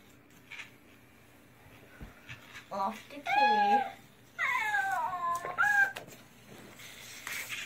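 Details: A cat gives a run of wavering, drawn-out meows in the middle seconds, some rising then falling, with faint indoor background sound before and after.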